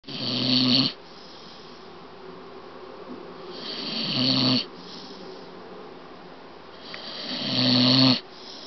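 A Staffordshire Bull Terrier snores in loud, rasping bursts about every three and a half seconds while awake.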